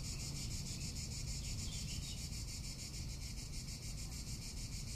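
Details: Cicada calling in summer in Tuscany: a steady, high, shimmering buzz pulsing rapidly and evenly without pause, over a low rumble of wind.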